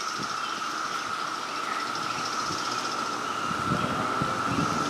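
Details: Three different types of cicadas calling at once at a house, some buzzing, some like lawn equipment, some like sci-fi spaceships, drone together in a steady, unbroken chorus with a high shimmering hiss above.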